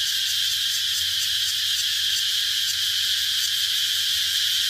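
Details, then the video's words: Shrill cicada buzzing, unbroken and loud, with faint rhythmic pulsing in the upper hiss and a steady whining tone at its core. "Cicada sound || Cicada Sound Effect"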